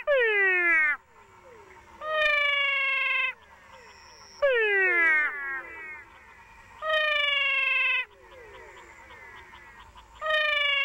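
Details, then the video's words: Two different cat frog species in Paraguay call side by side in turn, giving drawn-out, meow-like harmonic wails like crying cats, one falling and one held level. "Incredible frog calls from Paraguay!"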